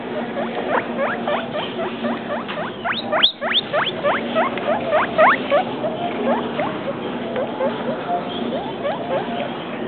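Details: A pet guinea pig, two weeks and three days, gives a rapid run of high rising squeaks, each sweeping sharply upward, repeated several times a second with a brief pause near the middle; soft human voices murmur underneath.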